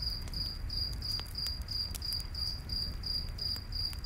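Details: A cricket near a night campfire repeats bright, high-pitched chirps in a tight rhythm, about three per second, with occasional wood pops and a low background rumble.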